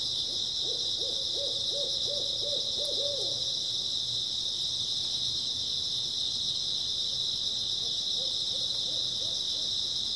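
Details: Steady high-pitched insect chorus from grass insects on an early autumn night, joined twice by low trills of rhythmic arched notes, one near the beginning and a fainter one near the end.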